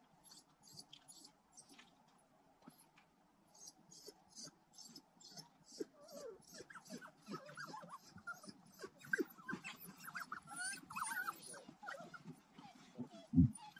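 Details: African wild dogs, or painted wolves, returning to their den to feed puppies on a private game reserve in South Africa's Kalahari Desert, filmed with a GoPro; soft whimpers and squeaky whines with low growls build after a quiet start, amid rustling.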